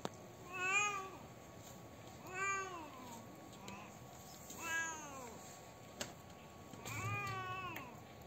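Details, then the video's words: Sad, crying domestic cat giving four plaintive meows in about eight seconds, each arched and harmonic, falling at the end, with a soft click between calls and a constant faint hum. "Cat Crying Sounds | Original Cat Sounds | Cat Sound MP3 | Cat Sad Sounds | Cat Grief Sounds"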